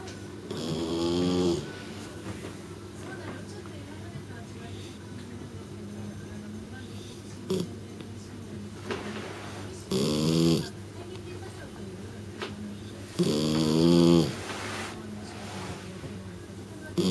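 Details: Shiratama, a three-month-old female kitten, asleep and snoring loudly like an old man: rough, buzzy snores with wavering tones, about four bursts over seventeen seconds, with soft breathing between in a quiet room.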